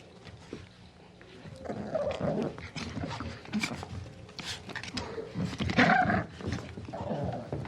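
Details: Puppy growling and yapping: uneven, gravelly growls swell and drop, dotted with short high barks at an irregular pace over a faint background rumble.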